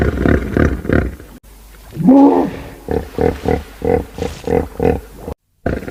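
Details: Hippopotamus giving a deep, rhythmic series of grunting honks, about two or three pulses per second, after a louder rising, wavering bellow; a brief silent gap near the end.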